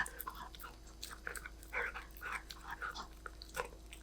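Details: Golden Retriever puppy eating snacks: soft, irregular crunching and chewing bursts, each brief and clicky, with a faint steady hum underneath.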